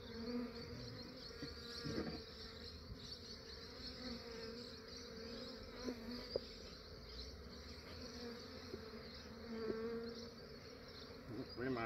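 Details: Honey bees of a massive swarm being captured early in the morning in Australia; a dense, steady buzzing hum fills the clip with faint high whines and occasional knocks of handling.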